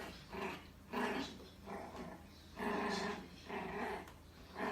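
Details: Bichon Frise puppy named Ttatti, in its first year, fighting a vacuum cleaner indoors: gruff growling barks in bursts of about half a second, coming roughly once a second, over a low steady hum.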